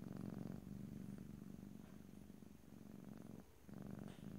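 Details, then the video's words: A domestic cat purrs close to the microphone: a strong low vibrating rumble, loudest at the start, fading briefly near the end before picking up again; quiet indoor background, no speech. "ASMR Cat: Purring"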